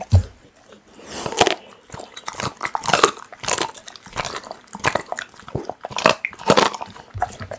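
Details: Pit bull tearing into raw meat, with loud crunching bites and wet smacking in rapid, uneven clusters, growing busier after the first second and continuing to the end.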